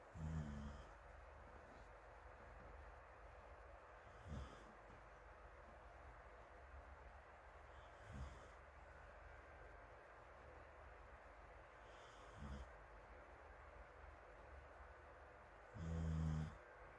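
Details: Sleeping dog Morimori snoring on a sofa under a blowing fan, Hamanaka, Hokkaido, 21 June, with rescued puppy Taisetsu and others asleep nearby, recorded from afar: low rumbling snores open and close the stretch, faint soft breaths between, constant fan hiss.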